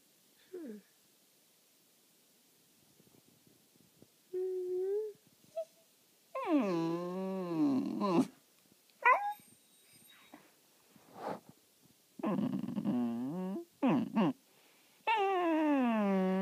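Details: Corgi asked to speak gives drawn-out, wavering whine-howls sliding down and up in pitch, several about two seconds long, mixed with short yips, in a small quiet room.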